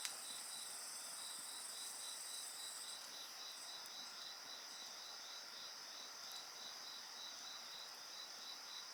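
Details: Several insects calling together near a bonfire, a piercing high trill dropping out after three seconds while a steady ringing tone and quick pulsed chirping continue, with soft crackling from the flames.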